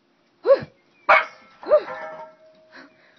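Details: Pet dog playing with family members at home, giving a few short sharp barks and yelps spaced about half a second apart, with a fainter trailing yelp; a woman's voice nearby coaxing the dog.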